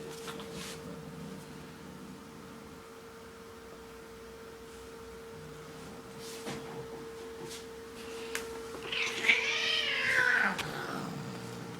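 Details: A domestic cat gives a drawn-out, wavering yowl near the end, rising and then falling in a long harmonic-rich wail, after a quiet stretch with a steady background hum and a few faint clicks.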